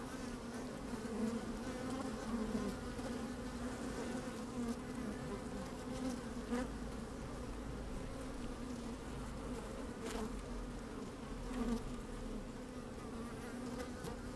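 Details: Inside an open beehive on a sunny, slightly windy day, honey bees moving about give a continuous layered drone, low hum with harmonic bands above, brief rustles and soft knocks breaking through now and then.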